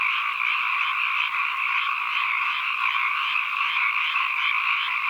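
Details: Unbroken chorus of many frogs forming a steady, even, high buzzing drone that holds the same level throughout, with no other sounds standing out, captured as an ambient nature recording.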